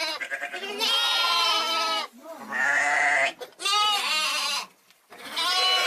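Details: Sheep (lamb). A lamb gives a run of long, quavering bleats, reedy and nasal with a trembling waver through each one. The calls come close together, broken only by brief silences.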